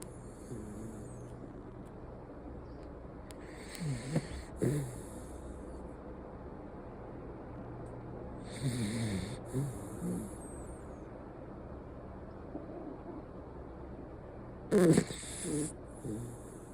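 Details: Miniature Schnauzer named Hijiki snoring while sleeping deeply indoors; low, rumbling snorts come in spaced bursts around four, nine and fifteen seconds, each with a breathy hiss, over a steady low background hum.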